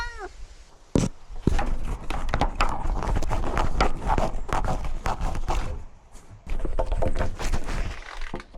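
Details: Domestic cats at a newly renovated outdoor catio, where outdoor cat Simba wears a camera while exploring and climbing. A short arched meow opens, with later faint harmonic cries, amid heavy thumps, scraping and rustling.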